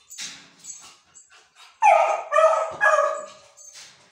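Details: Manju, a Beagle puppy, howls for her favourite food: after soft whimpers, a loud, wavering, harmonic howl breaks out in three rising and falling bursts over about two seconds, then fades.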